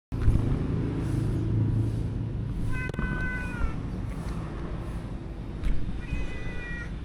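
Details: Stray cat living around the stalls and alleys of a local market, being fed: two drawn-out, slightly falling meows about three seconds apart, set against a steady low rumble of market and traffic noise.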